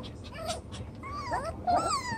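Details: Chocolate brown Toy Poodle puppies, seven weeks old, romping in their newly enlarged pen; thin high whimpers rise and fall in wavering, harmonic-rich whines, several overlapping toward the end, with faint rustling behind.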